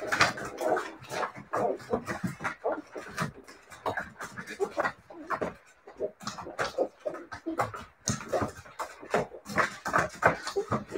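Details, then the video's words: A litter of Siberian Husky puppies keeps up a busy chatter of squeaky yips, grunts and whimpers, with scattered clicks and knocks throughout and a short lull around the middle. "siberian husky puppies"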